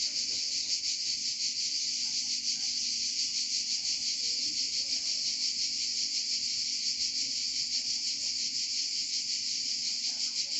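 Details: Cicadas in Provence fill the air with a steady, high, pulsing buzz that never lets up.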